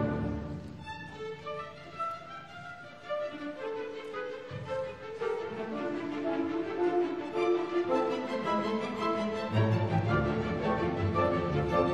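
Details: Orchestral string music with violin and cello plays throughout, with no animal sounds.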